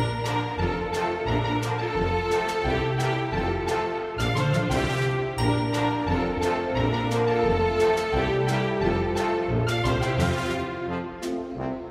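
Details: Upbeat instrumental music with bright chiming, bell-like notes and a steady bass line plays throughout, with no animal voices audible.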